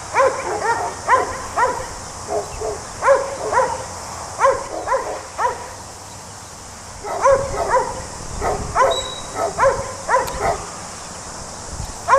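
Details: Working sheepdog, a Border Collie in New Zealand, barking while handling sheep: rapid bursts of short, ringing barks in runs of three to five, a quiet pause midway, then more clustered barking.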